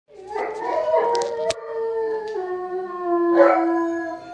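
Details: English Mastiff dog howling along to a siren: long drawn-out tones with stacked harmonics, slowly sliding downward over four seconds, with a brief clatter midway and a louder swell near the end.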